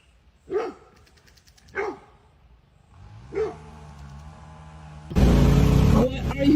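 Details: Dog barking at home: three single deep barks spaced about a second apart, then a low droning hum and a burst of loud broadband noise with people talking and laughing.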